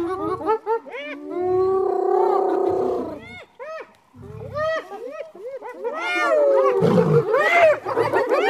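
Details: Hyenas trying to intimidate a lion to steal its prey, giving many rapid, arching calls that rise and fall in pitch, overlapping in giggle-like bursts with short pauses, a low rumble beneath, and a dense chorus near the end.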